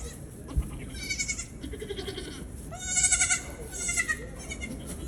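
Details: Young Nigerian goats on a farm bleat in short, wavering, nasal cries while playing and jumping around, several overlapping over a low rustling background.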